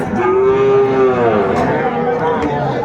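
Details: Young bull calves at a cattle market in Comilla, Bangladesh, 6 January 2025, bought by a farmer. One sustained, mid-pitched, harmonically rich bawl lasts about a second, followed by fainter wavering calls beneath a steady murmur of market crowd.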